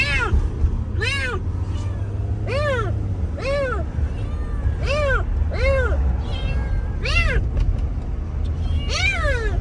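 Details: Abandoned kitten found freezing in the snow after two days at -11°C and rescued, giving a steady run of short arched meows, about one per second, over a loud low rumble like an engine.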